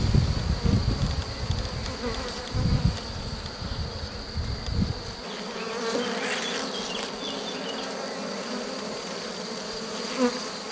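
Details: Honey bees of a drone-laying hive during a rescue attempt on 3 May 2021, the introduced queen cells found destroyed. A steady low buzz with hum bands, heavy handling knocks and rumbles in the first half, then a calmer, even drone.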